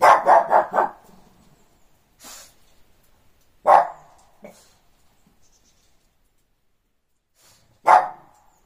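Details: Shih Tzu barking at the neighbours' dogs during playtime indoors: a quick burst of four sharp barks, then single loud barks spaced a few seconds apart with quiet gaps and faint rustling between.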